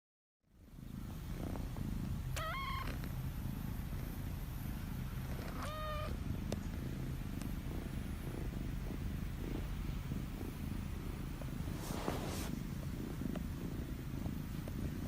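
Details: Chinchilla Golden kitten, indoors: two short, thin, harmonic meows rising then falling, a few seconds apart, over a steady, loud low purring that runs throughout.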